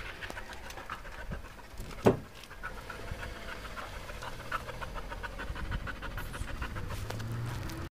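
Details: Belgian Malinois breathing in soft, steady, rapid pants, with one sharp louder sound near the two-second mark and a quiet low hum behind.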